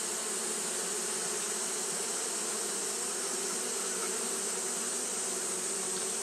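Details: Japanese honey bees fanning continuously on a hot day: a steady, unbroken droning hum with a low tonal band and a broad airy hiss above, even in loudness throughout, no other sounds standing out.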